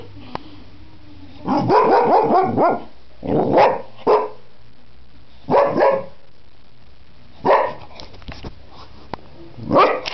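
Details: Springer Spaniel dog talking in a string of short, expressive vocal bursts: whiny, warbling yowls and clipped barks. The bursts come about every two seconds, with brief silences between them.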